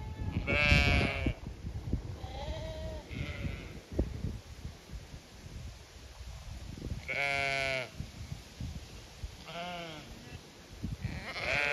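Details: Sheep of the Zwartbles breed on a County Kilkenny farm, Ireland, calling in expectation of fresh pasture; several bleats from different animals, a loud quavering one near the start and two strong ones later, amid low rumbling background.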